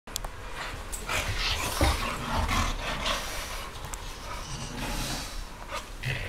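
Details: A Boxer and a French Bulldog fight, growling and snarling in rough, rumbling bursts while scuffling with each other.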